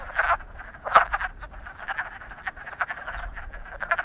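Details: Frogs in love croak in a dense chorus of short grating pulses, one louder sharp note early on rising above the steady calling.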